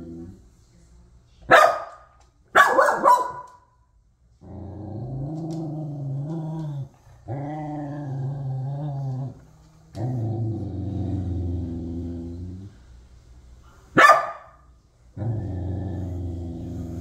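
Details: Low, drawn-out growling from a corgi displeased at a raccoon eating cat food, delivered in steady rumbling bouts of two to three seconds, punctuated by a few abrupt, explosive barks.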